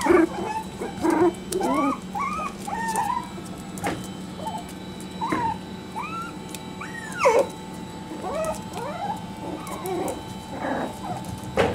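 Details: Parson Jack Russell Terrier litter at three and a half weeks old: repeated high, rising-and-falling squeaky whimpers and yelps from several puppies, over a steady low hum in the background.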